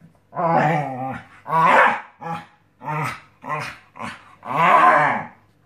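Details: Scottish Terrier on a new mattress making rapid grumbling growls and short bark-like bursts, seven bouts in under six seconds, the last one long and loud.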